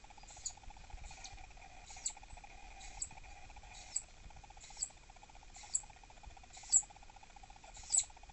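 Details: Captive southern flying squirrel named Dahan, a female thought to be pregnant and irritable, calling when annoyed in her enclosure: sharp, very high chirps repeated about once a second over a steady low electrical hum.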